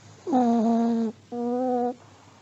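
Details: An aged Pomeranian dozing, producing two tonal, humming snore sounds in quick succession, the first slightly falling and longer, the second flat and shorter, in a quiet indoor setting.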